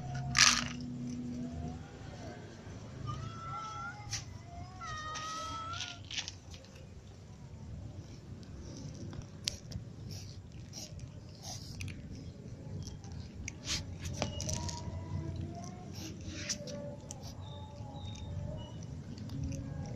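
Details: Ginger cat with little cats and other cats meowing while they all eat; a sharp click opens, then several short, wavering, tonal meows cluster in the first six seconds over a steady low rumble, with scattered crunchy ticks later.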